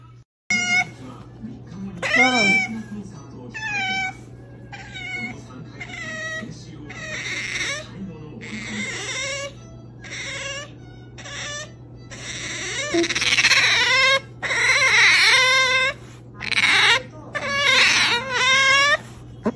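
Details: Otter Makoton, a male, vocalising as he is about to eat food: bursts of loud, high-pitched, harmonic squeals and chirps, often in rapid rising-and-falling runs, separated by short pauses, over a steady low hum.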